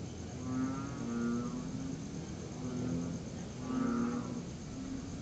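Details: Tree frogs heard after rain on a September 2021 night; two or three low, buzzy, harmonic notes come in loose pulses about a second apart, with a steady background hiss.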